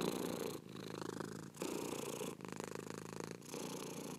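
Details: Domestic cat purring steadily in long rumbling phases, each breath cycle lasting about a second with brief quiet gaps between inhale and exhale.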